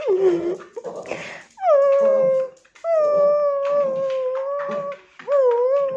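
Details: Tibetan Terrier indoors howling: drawn-out steady tonal wails with downward and rising bends, preceded by a few rough whimpers and snuffles.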